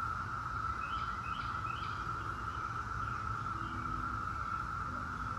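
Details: Periodical cicadas of the 17-year Brood X: a steady, unbroken high droning whine that holds one pitch throughout, with faint scattered bird chirps and a low rumbling background.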